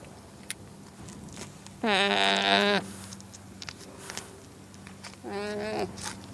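Two nasal, harmonic-rich calls from a llama carry a slight waver. The first lasts about a second; a briefer, softer one follows a few seconds later over faint background noise.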